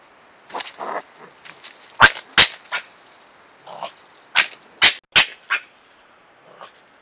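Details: Wild red fox squabbling with a European badger at night in Ireland, recorded on a trail camera: irregular harsh rasping bursts and sharp cracking yelps, about a dozen over seven seconds, some louder and clustered, with quiet pauses between.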